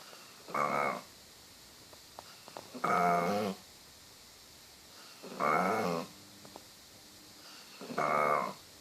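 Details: Sleeping dog snoring like a cow: four rasping, buzzy breaths, each about half a second long, repeated roughly every two and a half seconds, in a quiet room.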